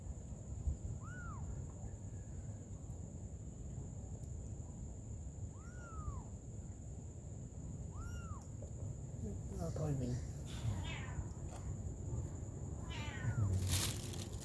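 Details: Mom cat caring for her little kittens. Three short, high, arched mews come a few seconds apart. Later a person talks over a constant hiss, with a sharp clatter near the end.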